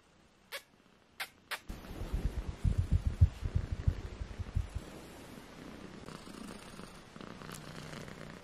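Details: A litter of four British Shorthair kittens aged 18 days: a few sharp clicks, then loud pulsing purring in rapid low throbs, fading into softer rumbling and rustle.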